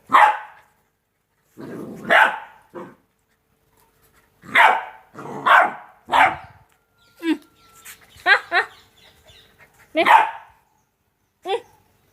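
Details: Two-month-old Rottweiler puppies playing: a loose series of short, sharp yappy barks at irregular intervals, some doubled, with brief gaps of quiet between bursts.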